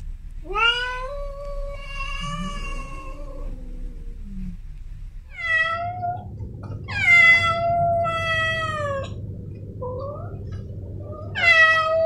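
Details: Male domestic cats Snowy and Milo meowing indoors: a long wavering meow, a lower moan, then shorter bright meows and a sustained loud one, separated by brief pauses over low background hum.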